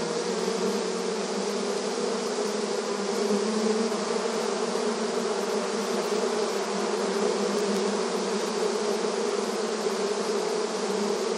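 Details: Many honey bees buzzing before their beehive, a rich, unwavering wing hum with a deep steady tone and faint brief flickers of higher buzzing over a level drone.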